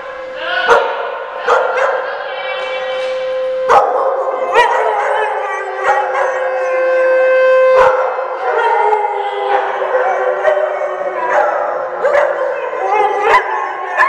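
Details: Dogs at a day care in Oswego, Illinois, during a siren test on January 3, 2012, keep up a chorus of sustained, wavering howls at several pitches, punctuated by abrupt barks every second or two.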